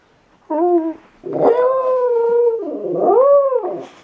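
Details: Maddie, a pet dog, "talking" with a person indoors: two expressive howl-like vocal phrases, a short wavering tone then a long sustained one that dips and rises again, rich in harmonics, with near silence between.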